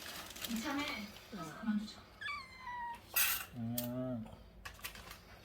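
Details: Kitten being taken to a new home for adoption and later returned gives thin, high mews that slide downward, several short cries in a few seconds, mixed with lower voice-like sounds and faint handling noise.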